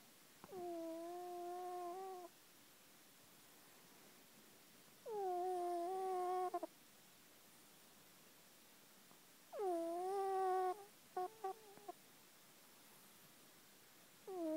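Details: Luca, a domestic cat, asleep indoors and snoring: long tonal, whistle-like harmonic breaths about every four to five seconds, steady in pitch with a slight rise at the start, quiet room between breaths.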